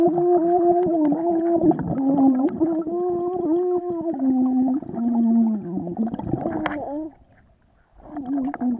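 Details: Vizsla in the water making a continuous nasal whine with small pitch steps, steady for several seconds, then a short near-silence before the whining picks up again.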